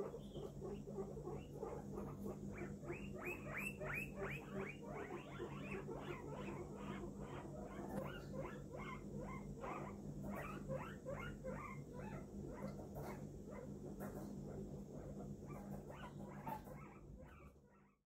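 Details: Pet guinea pig Poppi, which has an eye infection, producing a long series of rapid repeated squeaks, short rising-and-falling notes nearly three per second, over a constant low mechanical hum, fading out at the end.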